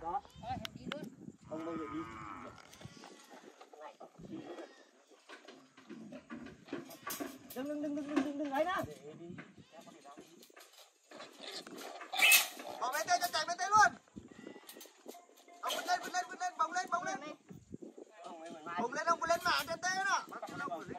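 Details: Free-roaming pigs being caught in a forest for sale to traders; loud, harmonic squeals rise and fall in several bursts, with the strongest outcry midway, mixed with men's shouting and talk throughout.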